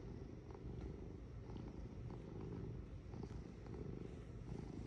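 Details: Purring cat heard up close, a steady low throaty rumble pulsing in regular breaths without pause.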